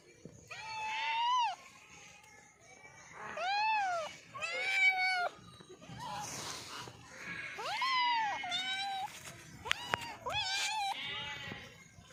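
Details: Cat meowing while eating: a series of drawn-out, wavering meows, some rising then falling, several overlapping and uneven over twelve seconds, with brief clicks and a noisy stretch in between.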